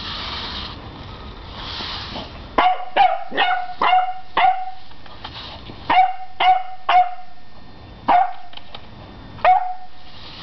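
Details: Beagle puppy, 11 weeks old, barking at a broom: a run of sharp, high yips and barks from about the third second, in quick bursts of two to four with short pauses, over faint background hiss.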